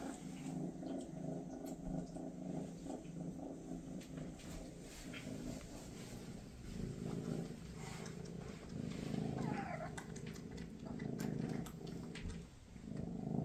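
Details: Purring among Maine Coons, Mama Freya spending time with her kittens just before they leave for new homes; a continuous deep, grainy purr swelling louder toward the end, with small clicks and rustles.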